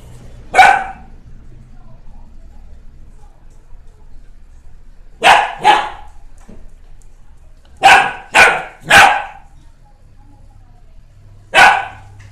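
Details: Two-month-old Standard Poodle puppy barking: six short, sharp, high barks, given singly and in quick pairs and a triple, with quiet pauses of several seconds between bursts.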